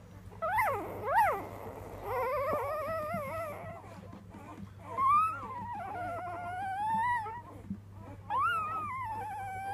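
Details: A three-day-old female Weimaraner puppy howls in high, quavering cries that climb and sag like a little song. Several separate drawn-out wails come a few seconds apart over a faint steady hum.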